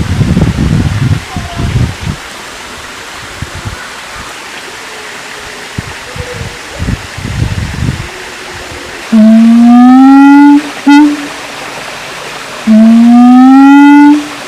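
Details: Siamang calling: two loud, drawn-out rising whoops with rich harmonics, each lasting about one and a half to two seconds, follow a stretch of quieter rustling and low background noise.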